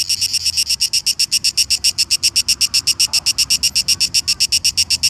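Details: A cicada sings a loud, rapid pulsing buzz, about four pulses a second, steady throughout; recorded at Šibenik, Croatia, on 5 July 2018.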